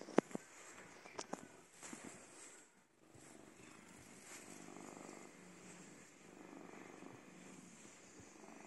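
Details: An old domestic cat on a bed gives a soft, steady purr, a low continuous rumble that swells and fades gently. A few faint knocks and rustles come near the start in a quiet room.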